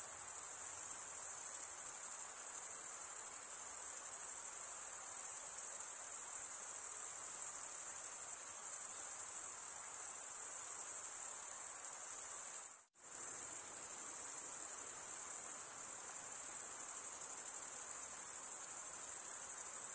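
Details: Continuous high-pitched cricket stridulation, produced as males scrape a comb-like wing vein, forms a dense ringing drone that cuts to silence for a fraction of a second near the thirteenth second, then resumes unchanged.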